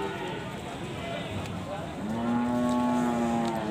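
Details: Cattle at the busy Kragan cattle market in Rembang, Central Java, Indonesia, during buying and selling. After murmuring voices, a steady low, even-pitched moo holds for about a second and a half, with crowd chatter underneath.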